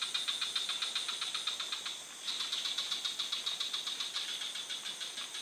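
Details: Frog calling in quick trains of sharp, clicking pulses, about four per second, in bursts with a short pause near two seconds; a steady high ringing whine runs beneath the whole stretch.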